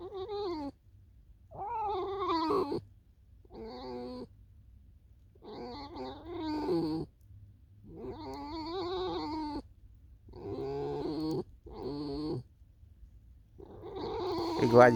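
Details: Alisa, a tame fox, in snowy weather leading toward a field: a long series of about ten rapid, wavering whines and yelps in bursts, fluctuating in pitch, with brief gaps and a steady low hum throughout.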